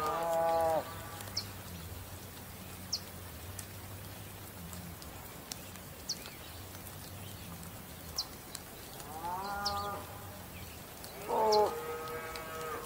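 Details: Bull lowing in short harmonic moos, one at the start and two more near the end, with quiet stretches between them filled by a low rumble and brief high chirps from small birds.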